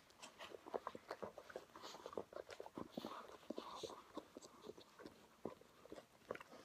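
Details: Two Weimaraners, one grey and one blue, named Paul and Abby, in tender rough play indoors: short broken growly grunts and snorts in quick irregular bursts, with chewing and mouthing sounds between them.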